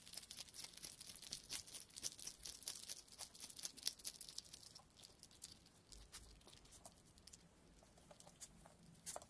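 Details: A West European hedgehog makes a quick, irregular run of dry crackling, crunching and rustling noises at close range.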